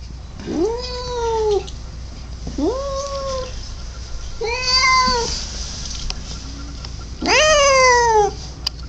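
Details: Domestic cat calling indoors with four drawn-out, nasal meows, each rising then falling in a curved arc, spaced about two seconds apart, the last loudest and strained; steady low camera hum runs underneath.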